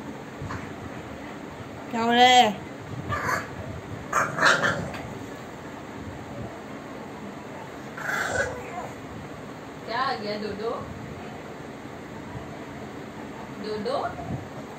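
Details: Bulldog puppy arguing, giving about five bursts of high, wavering, whiny yelps and grumbling moans spread over fifteen seconds, the first the loudest and most drawn out, with quiet pauses between.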